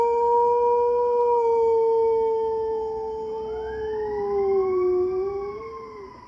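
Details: A German Shepherd holds a long, steady, mid-pitched howl in answer to police and fire sirens.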